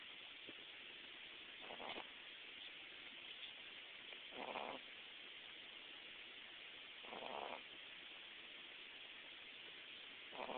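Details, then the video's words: Hudson, a sleeping Boston Terrier puppy, snores in soft breathy rasps, one every few seconds, four in all, over a steady background hiss. "Hudson the Boston Snoring"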